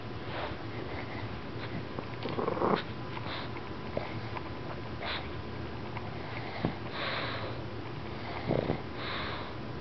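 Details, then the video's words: Pug named Princess waking up from sleep, giving short scattered sniffs and soft snorts at irregular intervals over a quiet indoor background. "Princess Snores"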